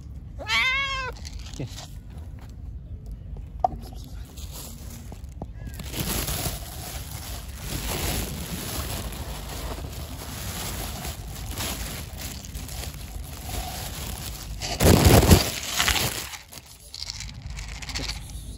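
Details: Hungry, pregnant stray cat, angry after being fed, gives one loud harmonic meow at the start, rising then falling; afterwards mostly handling noise, rustling and a steady high electronic whine.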